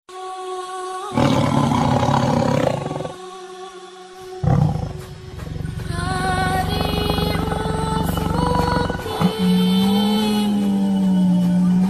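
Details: Tiger roaring in deep, rasping bursts, loudest early on, with steady tonal music layered throughout and continuing after the roars fade.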